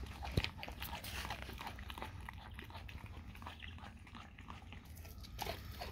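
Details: Dog crunching and biting raw cow tongue, dense sticky chewing sounds throughout, a sharp click early on, low room hum beneath.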